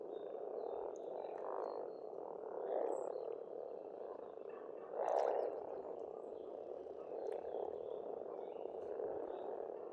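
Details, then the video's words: Chorus of frogs at an Estonian pond in spring, continuous grating croaks with a loud swelling burst midway, while scattered bird calls and whistles sound faintly overhead. "Расслабляющее пение птиц и лягушек, весна, природа."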